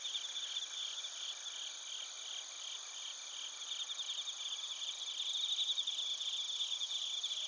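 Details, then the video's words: Recorded in Narita, Chiba Prefecture, Japan: bell crickets and other crickets in a thick shrill chorus, steady trills overlaid by faint pulsed chirping that grows louder in the last seconds. "スズムシとコオロギの鳴き声 - Chirping of crickets"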